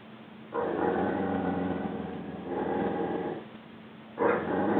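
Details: Rhodesian Ridgeback Juba, sent to his crate for a time out during crate training, voices unhappiness in a sustained rough moaning growl lasting nearly three seconds, then a fresh louder outburst begins.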